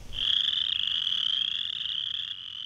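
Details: A threatened Western Chorus Frog gives its spring mating call, a high, rapid, rasping trill that rises slightly, at wetlands with vernal pools around eastern Georgian Bay.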